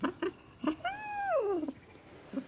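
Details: Jaba the cat, perched on a high, tiny place, gives one long drawn-out meow that holds steady, then slides downward. Soft taps and knocks sound before and after it.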